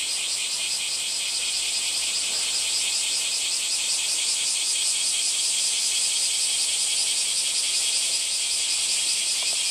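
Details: Steady high-pitched cicada buzz with a faint pulsing texture, a dense unbroken rattle sustained throughout.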